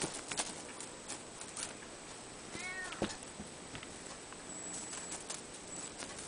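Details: Ragdoll cat, one of a pair of siblings, gives a single brief arched meow near the middle, with scattered tapping and clicking noises and a steady faint hum in the background.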